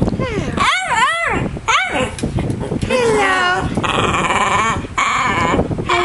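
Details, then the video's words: A pet dog being coached indoors to say hello makes two quick wavy, sing-song yowls, then a longer drawn-out moan, overlapping the owner's speech and a humming fan. "Talking Dog"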